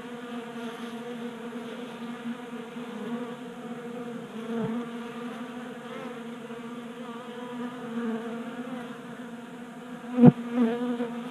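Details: Honey bees active at a bee feeder on a workbench in Colorado in January, burning winter fat stores in late heat; a softer layered buzzing hum, with a sharp knock near the end followed by a brief louder buzz.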